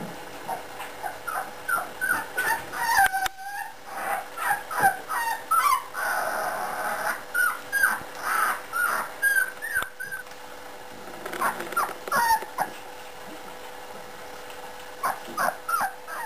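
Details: A litter of four-week-old puppies whine and whimper in thin, rising and falling squeals, several voices overlapping in quick succession.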